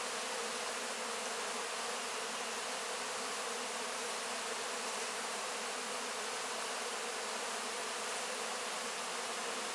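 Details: Crowd of honey bees licking honey off wax cappings following the harvest: a full, unvarying drone of many wings, steady and dense from start to finish with no other sounds.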